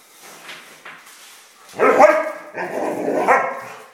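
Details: While playing with a mouse, a dog lets out two drawn-out, harmonic yelping barks back to back after faint rustling and scuffling.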